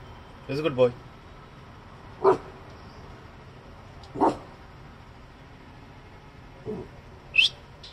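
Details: A small Coton de Tulear gives sharp, single barks at passers-by, spaced a couple of seconds apart, while ignoring commands.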